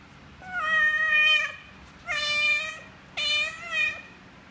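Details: Nursing mother cat feeding her five kittens, talking to them with strange sounds: three loud, high, harmonic-rich meows, each about a second long, slightly falling at the end, indoors with little background noise.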